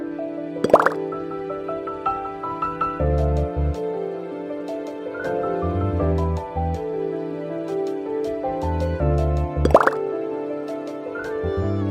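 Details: Gentle new-age music with chiming, dripping tones and soft low notes, with no animal sound.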